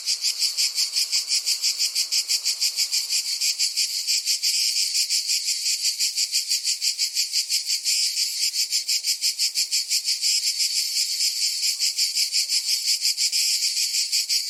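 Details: Cicada calling in a steady, harsh, high-pitched buzzing drone, pulsing about three times per second with an even rhythm throughout; no other clear sounds.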